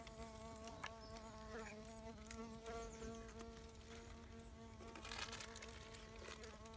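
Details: Bombylius major bee fly probing some sand, its wings giving a continuous, even buzz of layered steady tones, with scattered faint clicks and a short rush of noise toward the end.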